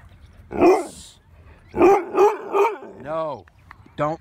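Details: Loud, defiant barking from Winston, a pet dog resisting obedience training at a dog park: a single harsh bark, then three rapid barks, followed by a long sliding whine-like yowl and a short final yelp.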